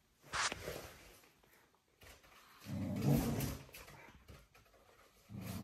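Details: Corgi playing with a balloon indoors: a short low, rough grumbling growl lasting under a second midway, with a brief sharp noise at the start, soft thumps and scuffles of play, and quiet room noise.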